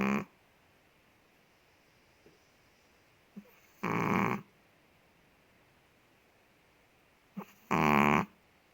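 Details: Sleeping Chihuahua named Ted, a big dog kept in Indonesia, gives harsh buzzy snores roughly every four seconds, each lasting about half a second, preceded by small soft inhalation sounds; otherwise quiet indoors.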